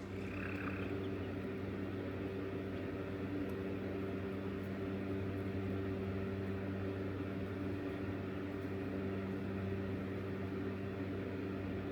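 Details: A steady low mechanical hum, like an engine or appliance, runs throughout with no clear animal voice.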